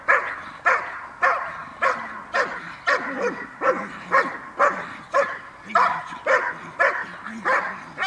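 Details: During a training session on 5 May 2015, Cola of the Gel.vilkas kennel, sired by Figo vom Nordteich out of Tulpi Gel.vilkas, barks steadily, with about fourteen loud, punchy barks spaced roughly half a second apart over eight seconds.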